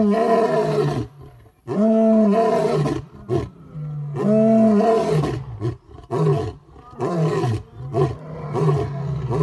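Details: Male lion in a big cat sanctuary roaring hard at sunset, a loud, close, full-throated bout of deep moaning roars followed by shorter grunting calls, with sharp pauses between bursts.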